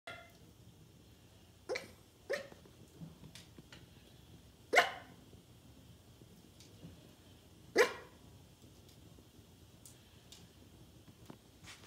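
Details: A sleeping 5-month-old male Norwich Terrier puppy barks in his dream: soft, muffled woofs with two sharper barks standing out.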